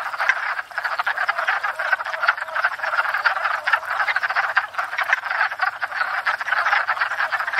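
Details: Numerous wood frogs at a spring pond, courting and breeding, produce an unbroken rattle of short clacking croaks that overlap into a loud, throbbing chorus, taped from a stationary tripod.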